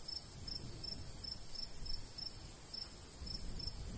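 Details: Crickets chirping in the summer countryside beside a golden wheat field, regular high pulses about two to three per second over a persistent high hiss and gentle low breeze.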